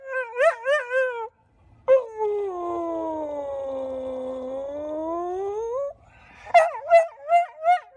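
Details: ['Golden Retriever male dog: a few quavering yelps, then a long sagging howl that dips and climbs back up, followed by a rapid series of short, rising yips.']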